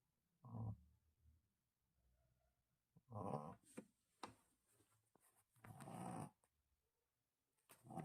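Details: A Shih Tzu puppy snoring while asleep indoors: rough, low, rumbling breaths in three main bursts about every two and a half seconds, with soft clicks and rustles between them.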